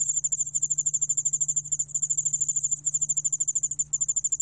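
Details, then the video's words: Cricket known in Korea as yeoul-allak-bangul-beolle, recorded in 2020 by the National Institute of Biological Resources, producing a rapid string of sharp, high, ticking pulses in a near-continuous trill with a couple of tiny breaks. "여울알락방울벌레, 1번 듣기, 곤충소리"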